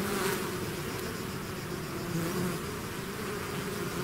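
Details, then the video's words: Swarm of bees leaving the hive, producing a constant low buzzing drone with a few brighter hum tones sliding up and down as nearby bees pass. "bees therapy swarm natural buzzing sound"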